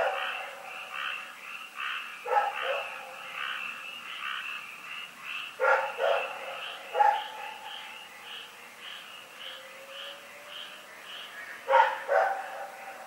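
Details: Dog named Rex barks in the night at Pyrga, 27 February 2018: four separated barks, including a quick double bark, rising out of a continuous background of croaking frogs.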